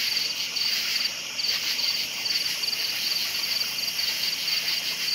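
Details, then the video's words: Crickets at night giving short bursts of high chirps repeated about twice a second over a steady shrill insect background, the rhythm clearly pulsed. "Night Sounds Crickets Chirping"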